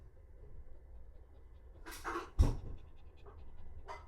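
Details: Azuki, a pet Shiba Inu, breathing in a few short, breathy, broadband bursts around the middle, one louder huff, then softer puffs near the end, over a steady low indoor rumble.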